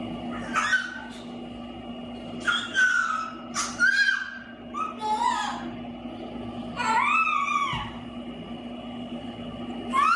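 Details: Husky puppies give arching, wavering whines and little howls that rise and fall in pitch, several in a row, over a steady electrical hum with faint human voices.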